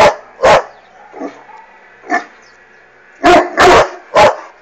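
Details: Irish Wolfhound barking at a hot air balloon flying overhead; deep, loud single barks spaced irregularly, then a quick run of three, with softer muffled woofs between.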